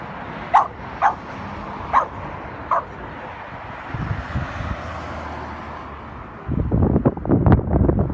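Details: Brickart, a West Highland White Terrier, barking after a squirrel: four quick sharp barks in the first three seconds, then quiet, followed by loud rustling and scuffling noise near the end.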